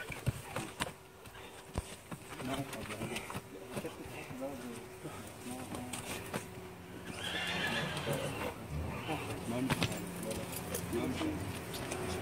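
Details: Horse during semen collection by a veterinary professor of obstetrics and reproduction at Hama University's veterinary faculty; a whinny rises amid men talking, hoof clatter and background noise.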